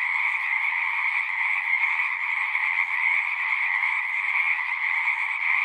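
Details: Many frogs singing at a pasture pond, recorded on a Zoom device: an unceasing, shimmering chorus of high trills layered over lower croaking pulses, dense and uniform from start to finish.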